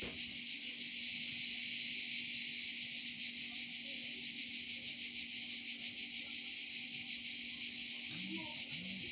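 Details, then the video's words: Cicadas in Provence singing a constant high, rasping buzz with a fast flutter; near the end two short low swooping sounds. "Chant des Cigales en Provence"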